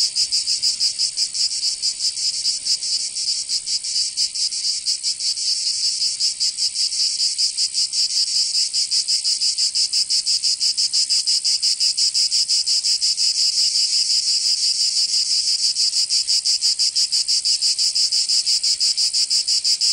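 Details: Cicadas singing in summer in Provence, southern France: a dense, continuous high buzzing chorus with a rapid pulsing throb, steady and loud throughout, no other sounds.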